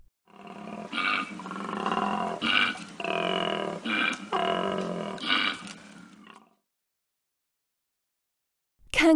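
Koala giving a deep, rasping bellow of rough snoring inhales and belching grunts for about six seconds, then silence before a brief sharp noise at the end.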